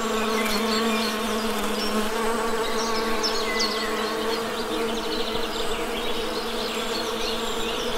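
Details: Dense, even hum of many honey bees, a thick low drone with stacked overtones, accompanied by scattered high bird chirps and short twitters.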